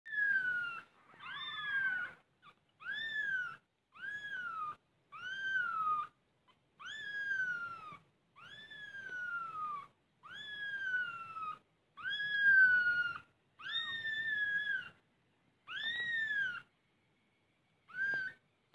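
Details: Mother domestic cat with her kittens, feeling safe: a long run of about thirteen clear, tonal meows, each arching up then sliding down, repeated every second or so with short pauses, in a quiet indoor setting.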